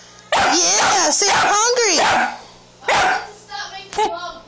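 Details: A hungry female Staffordshire Bull Terrier puppy grumbles and yowls in bending, wavering vocal bursts, demanding food.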